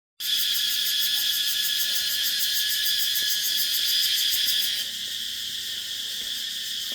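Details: Insects calling at dusk on Nang Yuan Island: a dense, shrill, steadily pulsing high chorus that drops noticeably in loudness after about five seconds as someone walks by.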